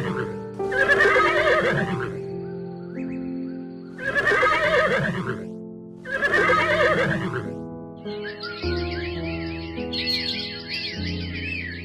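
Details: Horse neighing: three loud, shaky whinnies with a trembling, wavering tone, each lasting over a second and spaced about two seconds apart, set against steady background music that continues alone at the end.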